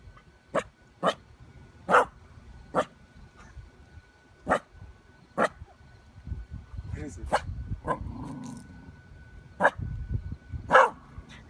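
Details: A corgi gives sharp, single barks at a giant purple spider, repeated at uneven intervals about a second apart.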